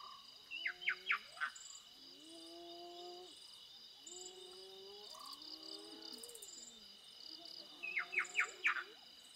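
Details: Spotted hyenas with a cub, very close, in Kruger National Park: drawn-out, slightly falling tonal whines with rich harmonics, repeated in several bouts, with sharp bird chirps and a constant high insect drone.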